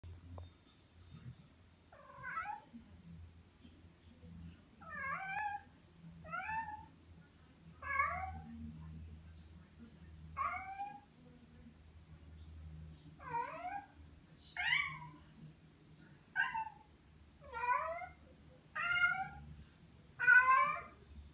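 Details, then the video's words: Tom, a pet cat, meowing repeatedly: about eleven short harmonic meows, each sliding down then up, come every one to two seconds with quiet pauses between them and a low hum underneath. "Tom meows so awesomely"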